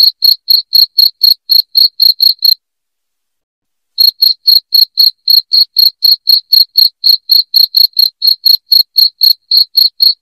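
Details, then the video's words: Loud cricket chirping, meant for driving rats from a home: sharp high pulses about four per second, steady and even, with a silent break of over a second partway through, then the chirps resume. "SUARA JANGKRIK NYARING"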